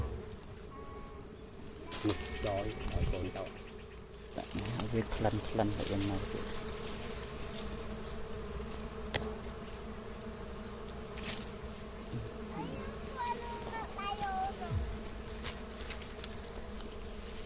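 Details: Honey bees at a natural nest near a house give a steady, low droning hum throughout, with brief human voices and rustling handling noises early on and a few faint chirps later.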